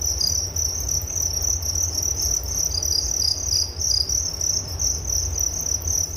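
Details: A dense chorus of crickets keeps up an unbroken, piercing high trill of fast pulses, slightly swelling and fading in loudness, over a soft low background rumble.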